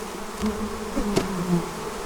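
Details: Honey bees from an angry, heavily populated hive with a large queen make a dense, low, droning buzz with shifting tones during fall feeding and hive preparation.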